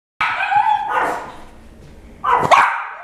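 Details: Jack Russell Terriers at home. One sharp, tonal yapping bark, a brief pause, then a second loud bark, followed by a person's voice.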